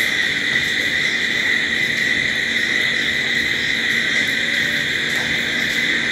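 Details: Nighttime cricket chorus, a constant high-pitched ringing made of stacked steady tones, unvarying in loudness, over a faint low murmur.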